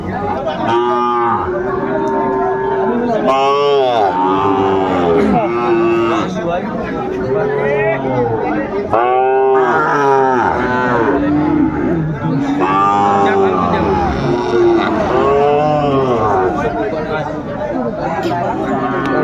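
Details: Sahiwal bull calves at a Comilla livestock market on 10 February 2025 give repeated arching moos, each swelling and fading, in clusters every few seconds, while traders talk and a crowd murmurs throughout.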